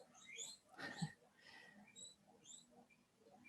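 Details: Pet guinea pigs squeaking at home because they are hungry: faint high, short chirping squeaks scattered irregularly, with one louder burst near the middle, over a quiet indoor background.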